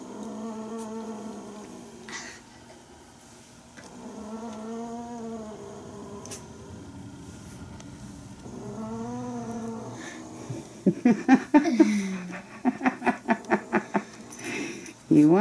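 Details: Indoor play among Bengal kittens born to Aurora and Coco: three drawn-out, wavering low yowls a few seconds apart, followed by a burst of rapid pulsed sounds and laughter near the end.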